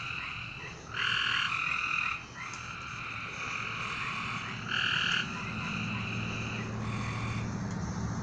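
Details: Night-time frog chorus with loud, buzzy, ringing trills of about half a second to a second, repeated by more than one caller, plus a faint low hum in the second half.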